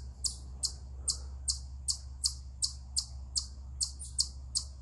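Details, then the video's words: An eastern chipmunk on a rock gives sharp, high chips, about two or three each second, over a low steady hum; the owner wonders whether it is a stress, mating or territorial call. ""Eastern Chipmunk Vocalizing Upon A Rock"!"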